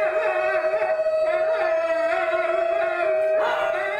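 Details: New Guinea singing dog named Darwin, in a blue harness, howling in a group chorus: sustained harmonic tones around a steady pitch with wavering, overlapping voices, a shift in pitch near the end, continuous without pause.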